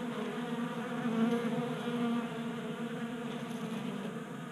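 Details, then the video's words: Honey bees burning winter fat stores on a 60-degree January day in Colorado, feeding at a 3D printed feeder on a workbench. A rich harmonic buzz that swells around the first two seconds, then eases into a steady drone. "45 Minutes of Honey Bees Feasting from 3D Printed Bee Feeder ASMR"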